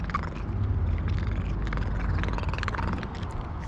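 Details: A tuxedo cat purring loudly while being petted: a steady, low, continuous rumbling purr that runs through the whole stretch at an even level, with faint rustling on top.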